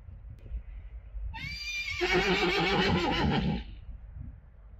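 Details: Friesian horse whinnying: a loud, shaky neigh rising then wavering for about two seconds, with faint background noise and a soft thump before it.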